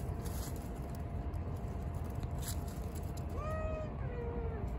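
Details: A stray baby kitten, a new face at a cat-feeding spot, gives one short meow of about a second that rises slightly and then falls. A steady low rumbling background noise runs throughout.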